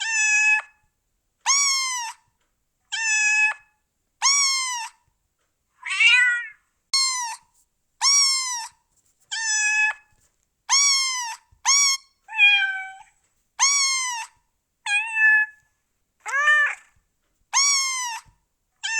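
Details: Repeated meowing from cats and kittens, about fifteen bright harmonic meows over the span, several with wavering or bent pitch, spaced roughly a second apart with clean silence between.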